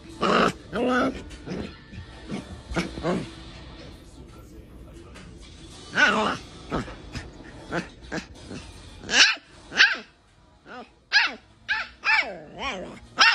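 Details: Chihuahua barking in short, sharp, repeated bursts, some clustered in quick runs, others spaced several seconds apart, from a compilation of funny pet reactions; background music plays throughout and a person speaks briefly.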